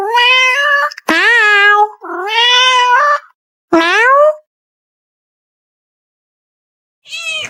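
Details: Pet cat arguing with her owner indoors: a run of four loud, drawn-out meows in quick succession, some rising then falling, followed by a pause and one more fainter meow at the end.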